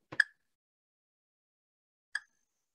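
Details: A spotted marsh frog gives sharp single clicks about two seconds apart, like two rocks clicked together.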